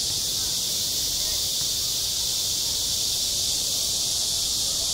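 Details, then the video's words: Midsummer cicada chorus over a school playground, an unbroken shrill metallic drone holding at even loudness throughout, with nothing else standing out. "한 여름 운동장에서 매미가 울고 있다 - 여름의 소리, 학교 종소리, 매미 울음소리"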